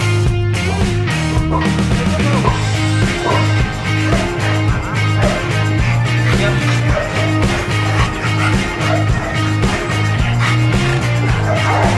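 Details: Loud rock music with driving guitar and drums fills the whole stretch, with no animal sound heard.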